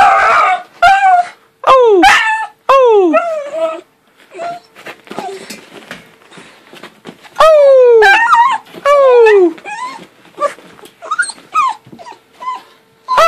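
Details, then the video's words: A happy puppy howling while wagging its tail indoors: a string of short rising-and-falling yelping howls, several bursts close together, with a person's voice talking and cooing between them. "Happy Howling Puppy!!"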